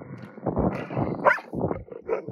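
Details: Three wolfdogs and a bossy husky named Dobro squabble after the husky finds a cached piece of meat; short gruff barks and growls in several bursts, with one higher yelping note in the middle.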